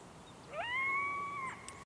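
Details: A wild local coyote howling at a photographer gives a single clear howl that rises quickly, then holds a steady pitch before breaking off.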